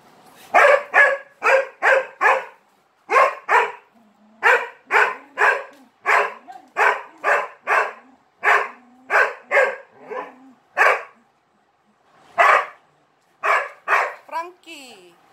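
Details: Dog barking too much for attention while playing with three Malinois: long runs of loud, evenly spaced barks about two per second, with brief gaps and a faint whine near the end.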